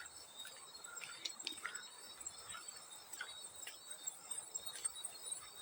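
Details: Field cricket chirping in a steady high-pitched ringing trill that runs unbroken through the clip, with scattered soft splashes and drips of water over it in a relaxing sleep-sound mix.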